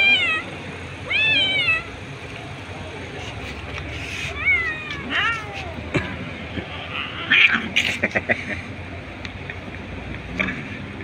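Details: Stray kittens, hungry and deprived of food, meowing on the street as they fight over one fish; repeated high, bending meows from several kittens, clearest early, with background rumble and sharp clicks.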